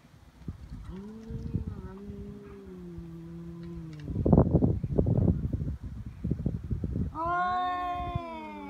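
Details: Feral cats fighting in Japan on Cat Day, 22 February, threatening before escalating to biting and paw swipes: long low sustained moaning growl, then a rising, wavering caterwaul with a scuffle of thuds between.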